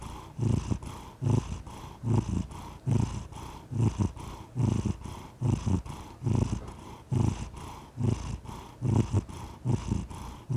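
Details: A cat purrs continuously, a deep vibrating rumble that swells and fades in a regular breathing rhythm, about seventy pulses a minute, heard up close in quiet surroundings.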